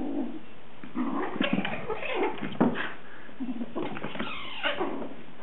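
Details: Kittens playing rough, with short squeaky cries, low growly sounds and scuffling noises throughout, in a small indoor room.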